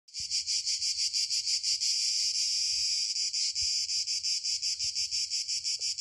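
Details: Cicadas in southern Italy singing a dense, high, buzzing chorus that pulses rapidly and steadily, swelling into a near-continuous drone mid-clip before breaking back into quick regular pulses.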